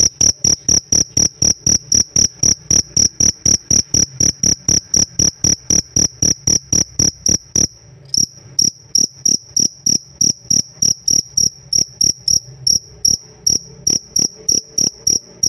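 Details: Captive pet cricket singing a long bout of high, ringing chirps, around four per second, steady and loud, broken by one brief pause halfway before resuming at the same even pace.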